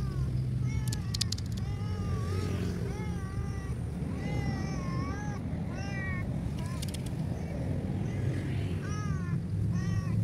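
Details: ['Abandoned cat left by the roadside far from any food source, meowing repeatedly in short, rising-and-falling harmonic cries, one after another across the recording, over a steady low traffic rumble with occasional clicks.']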